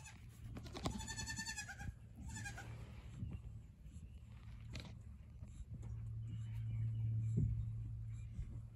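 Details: Young goat snuggling in hay, giving a short run of harmonic, wavering bleats early on, followed by quiet rustling and a steady low hum.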